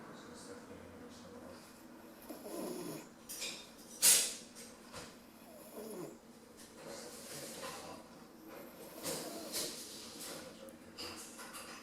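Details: Ten-week-old female Rottweiler puppy named Bambi asleep indoors, snoring softly with breathy, hissing snuffles in slow rhythm, one sharp loud burst near the middle like a sneeze or snort.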